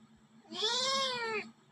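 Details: A domestic cat indoors gives one clear meow lasting about a second. The meow rises slightly and then falls, with a soft electrical hum underneath.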